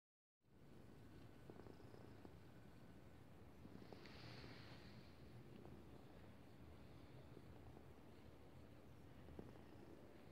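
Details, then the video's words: Pet cat purring while lying on its owner's chest, recorded 10 February 2018; a soft, steady low rumble runs throughout, very quiet beneath faint background hiss. "cat purring"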